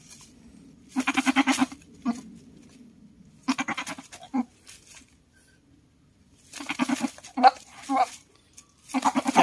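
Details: Aggressive male goat, a buck, bleating in four separate bursts of harsh, pulsing, wavering bleats, each lasting under a second, with quiet pauses between them.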